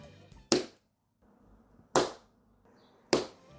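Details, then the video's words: A domestic rabbit thumps its hind feet in sharp, separate knocks; not a vocal sound but a body signal alerting other rabbits or those nearby to danger, meaning something frightens or bothers it, stay alert. "Bien qu'il ne s'agisse pas d'un son vocal, le coup avec les pattes arrière est un type de signal sonore corporel que les lapins utilisent pour alerter les autres lapins"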